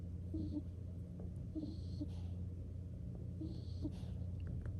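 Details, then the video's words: Drowsy skunk named Nikko drifting off to sleep, giving a few short snuffling snores about a second or two apart, set against a constant low-pitched background hum in a quiet room. "Nikko Falling Asleep and Snoring"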